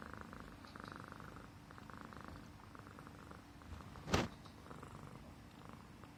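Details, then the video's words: Himalayan Persian cat purring as its neck is stroked, a sign of an affectionate, comfortable pet; low steady rumble with pulsing breaths, interrupted by one loud brief knock near the end. "Suara Kucing Mendengkur (Manja Banget) CAT PURRING"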